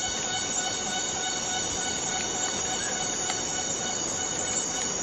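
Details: A cicada of Borneo's rainforest gives a constant high, ringing whine layered with harmonics, dense and unvarying across the short stretch, with slight crackles beneath.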